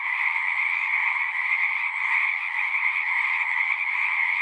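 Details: A frog chorus from a pond in a horse pasture, recorded with a Zoom: steady, high, pulsing trills from many animals overlap into a seamless buzz, gently swelling and easing but never stopping.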